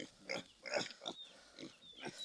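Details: A sow on a rural farm during farrowing: short, high squeals and grunts come in bursts about every half second to second, with bright harmonic tones.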